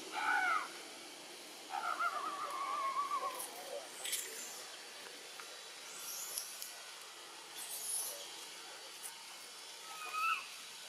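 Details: Baby macaque Button, bitten by the monkey Cara, among Siem Reap's temple troops in Cambodia: clear, high, tonal cries with harmonics, a short one first, then a long wavering wail of about two seconds, and fainter cries later over steady background hiss.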